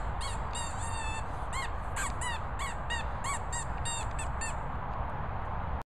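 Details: Daisy, a Pointer, gives a steady series of sharp, high-pitched squeaks, each brief and arched, repeated roughly every half second throughout, against a constant low rumble of background noise.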